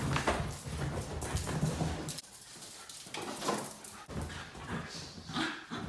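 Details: Two Basenji pups, Zinga and Zulu, playing together indoors: low rough growl-like rumbles and scuffling in bursts over the first two seconds, then quieter broken grumbles and rustling movement.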